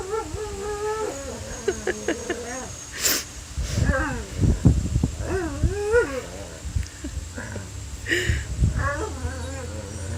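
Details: Pet dog singing in a run of warbling, yodel-like howls that swoop up and down, with short breaks between phrases, breathy bursts and low rumbling noise, and a steady hum behind.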